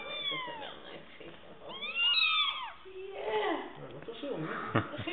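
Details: Fluffy kittens on a chair indoors, several high descending mews overlapping early on, then lower drawn-out cries mixed with a person's speech and small handling noises.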